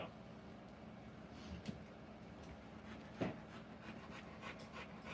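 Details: Rottweiler during the live birth of her puppies, indoors; soft, breathy panting runs quietly under a steady low hum, broken by two brief sharp knocks.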